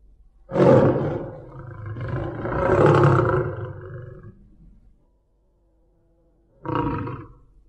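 A tiger gives a deep, rasping roar that swells and fades, then a shorter growl.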